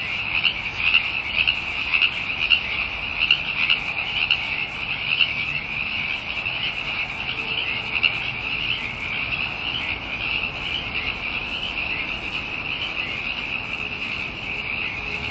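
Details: Many frogs in full chorus, a steady shrill buzzing trill that holds at one pitch for the whole stretch, swelling slightly in loudness at times.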